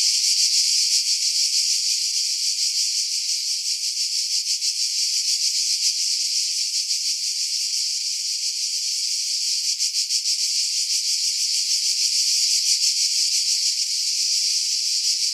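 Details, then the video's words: Cicadas singing in pine trees about 50 m above the sea at Pefkos Bay, Skiros Island, Greece, in July 2018; a dense, continuous high-pitched buzzing chorus with fast pulsing, filtered to remove wind buffeting. "Cicada Sounds, July 2018 Skiros, Greece"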